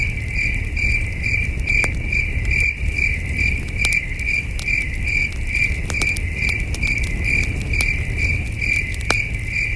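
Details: Night-time crickets near a campfire in the wilderness: a high chirping trill of quick repeated pulses, with scattered fire crackles and a soft low rumble beneath.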